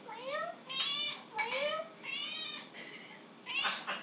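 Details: Lucy, a pet cat, meows insistently indoors for tuna after hearing the can opener; several harmonic rising-falling meows in quick succession, overlapping a person's voice asking if she wants tuna.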